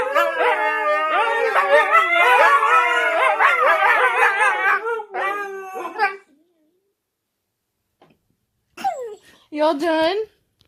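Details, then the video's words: Four Siberian Huskies singing together indoors, their wavering, overlapping howls and yowls rising and falling for about six seconds before silence, then two short howled bursts near the end. "Four Huskies Making Some Noise While Singing Together"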